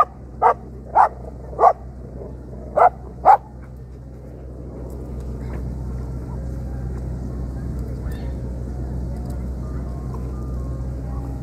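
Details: Pair of dogs gives five loud, clipped barks in the first few seconds, then falls silent, leaving a low rumbling background hum and faint indistinct sounds.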